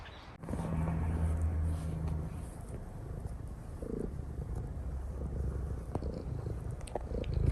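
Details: Domestic cat purring while kneading on its owner's lap and acting affectionate; a steady low rumbling purr runs through most of the recording, with a few soft clicks and rustles on top.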